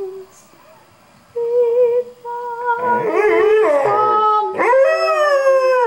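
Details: Pet dog Figaro howls along indoors as a person practises singing for church. Steady held tones give way to wavering, sliding howls rich in overtones, then a sharp upward-swooping cry that settles into a long, wobbling note.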